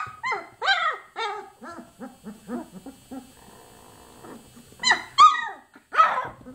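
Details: A run of arching, high-pitched yelps and whimpers from 24-day-old chocolate Labrador Retriever puppies, quick at first, then fading into softer squeaks before three louder cries near the end.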